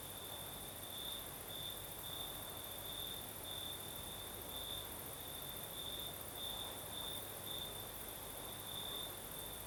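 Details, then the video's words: At night in the Crimean south, crickets keep up a bright, high-pitched pulsed trill in a steady rhythm, backed by an unbroken, even higher hiss of other insects and a soft night breeze. "Сверчки поют"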